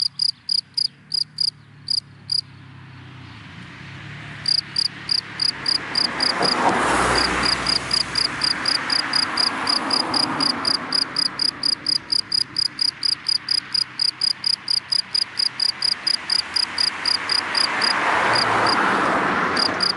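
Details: Cricket in dry grass during the daytime chirping in quick high pulses, stopping for a couple of seconds, then continuing as cars pass with rising and fading road noise.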